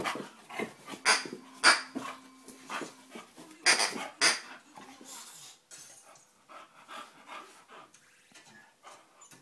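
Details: Dogue de Bordeaux puppy Buddy, five months old, at play: a thin, steady whine held for about a second and repeated, with short puffing, panting-like bursts, then softer scuffling noises as the activity quiets.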